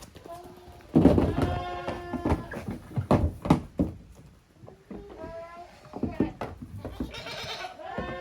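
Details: Kids of Koharu and Okayu romping in two groups in the yard of Yoshigake, a handmade goat farm in Japan, 13 June 2023. Bleats mixed with loud knocks and hoof thuds.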